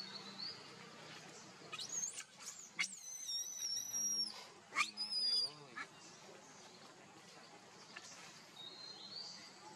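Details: Baby monkey Leo with its mother, crying as it begs for milk: a run of high, wavering, tonal cries with stacked overtones, bunched together in the middle of the recording over a steady noisy background.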